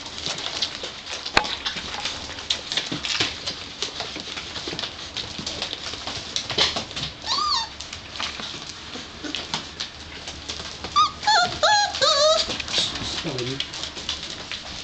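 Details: Five-week-old Gordon Setter puppies from one litter, heard through steady clattering and rustling; a few short, wavering high whimpers stand out around the middle and again toward the end, some bending down in pitch.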